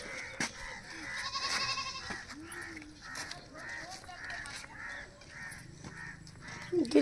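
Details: A grazing goat lets out a faint, tremulous bleat early on, followed by softer repeated bursts under steady chatter from children and adults outdoors.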